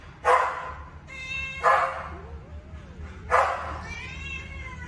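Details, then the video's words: Two baby kittens fighting each other over food; three loud, harsh cries with ringing harmonic tails burst out roughly every one and a half seconds, with a faint wavering tone and low background rumble between them. "2 baby kittens fighting with each other to find a winner for food!"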